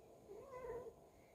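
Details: A house cat that bites while being petted gives a single short, soft meow, rising then falling, under a second long, against a quiet room.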